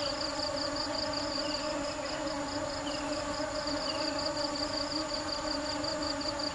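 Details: Hardworking bees gathering nectar make a continuous low buzz with stacked harmonics; a high, rapidly pulsed trill repeats throughout, with occasional soft falling chirps in the background.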